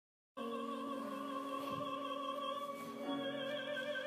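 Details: After a brief silence, operatic singing with sustained held notes over orchestral accompaniment fills the rest, with no animal sound heard.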